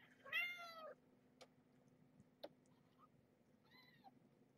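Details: Two-week-old kitten from a litter born to Marge, a stray taken in while heavily pregnant, crying while placed on the scale for weighing; one loud, rich, slightly wavering mew, a few clicks, then a fainter shorter mew.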